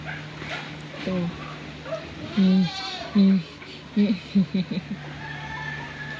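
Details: Domestic pet goat giving short, flat, nasal bleats, a few long ones then a quick run of clipped ones about a second apart, over a steady low hum and nearby human voices.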